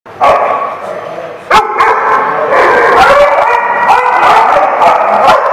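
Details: Dogs at The Barking Lot, recorded 3/5/16: a dense, overlapping chorus of sharp, irregular barks and yips, with a loud burst partway through and a steady din of voices and other dogs throughout.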